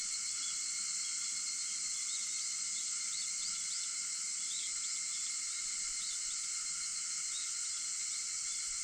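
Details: Cicadas singing at 4:50 in the morning on August 4: a steady, dense, high-pitched buzzing drone with layered bands that never breaks, plus a few faint short rising chirps scattered through the middle.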